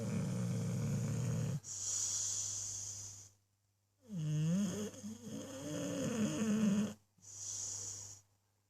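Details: English bulldog snoring while asleep: long rasping breaths about one and a half seconds each, separated by brief silences, one breath carrying a wavering, whistly whine over a low steady hum.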